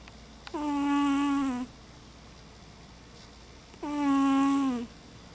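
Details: Sleeping house cat Mama Kitty gives two loud, buzzy, whistle-toned snores, each lasting just over a second with a slight downward slide at the end, separated by about two seconds of quiet breathing.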